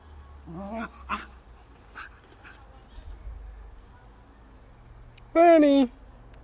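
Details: Six-month-old Bedlington Terrier puppy gives one loud, half-second whine near the end that slides downward in pitch. Softer voice-like sounds come before it, with a steady low hum underneath.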